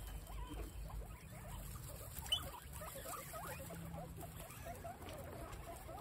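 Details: Guinea pigs eating fresh grass on a windy day. Soft, crunchy nibbling and short faint squeaks repeat steadily throughout, over a constant low rumble of wind.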